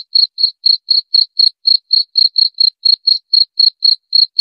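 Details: Cricket sound meant to repel rats: a rapid, regular string of sharp, high chirp pulses, roughly four each second, clean and uniform, with nothing else audible.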